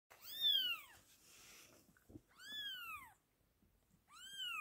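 British Shorthair kittens give high, thin meows that arch up and then fall away.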